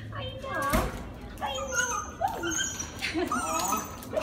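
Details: Husky named Princeton greeting his owners after a long plane flight, very vocal: wavering, sliding whines and yowls rising and falling, mixed with a woman's speech in a small indoor space.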